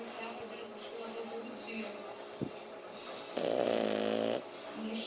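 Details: French bulldog snoring indoors: one rasping, buzzy snore lasting about a second, rich in harmonics, set against a steady murmur of speech and background chatter.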